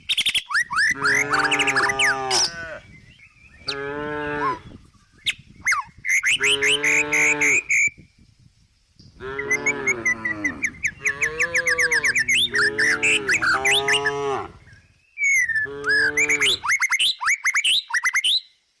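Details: A tame cow resting and eating grass in the countryside gives long, rich moos of about two seconds each, repeated with short pauses, while small birds chirp busily in the background.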